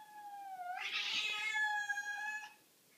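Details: Pet cat seeing a huge cat on the back porch, one drawn-out meow that swells into a harsh, strained yowl for about two seconds before cutting off in a quiet room.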